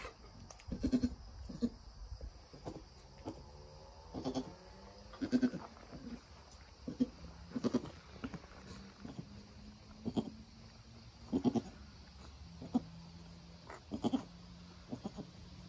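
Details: Nigerian Dwarf doe with her newborn doeling as the kid stands and begins nursing, the mother encouraging it: quiet, low murmuring calls repeated every one to two seconds, some held as short steady low tones, over faint background hiss.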